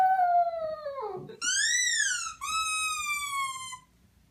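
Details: Puppy making a strange sound: three clear, tonal whining notes, the first sliding downward, the second high and arching, the third falling slowly, in a quiet room.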